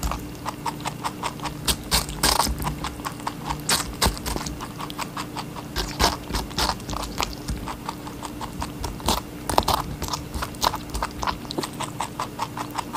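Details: Rabbit feeding on watermelon, with a busy stream of small wet crunching bites broken by a few louder, sharper crunches, over a faint steady hum.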